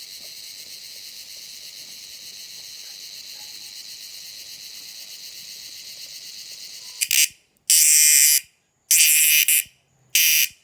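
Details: Insect calling at night: a steady, thin high-pitched trill runs for about seven seconds, then gives way to three loud, harsh buzzing bursts separated by short silences.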